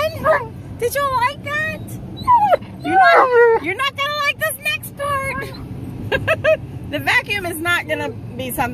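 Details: Tonka, a male Alaskan Malamute, going through a car wash: rising and falling whines, short yips and wavering talking cries in quick bursts, over a low mechanical hum, with a person speaking.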